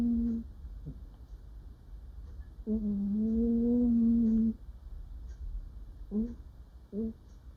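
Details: Pet cat, female, making murmuring noises in her sleep while dreaming: short low hums and chirps, then a long wavering hum of about two seconds, followed by two quick soft chirps in a quiet room.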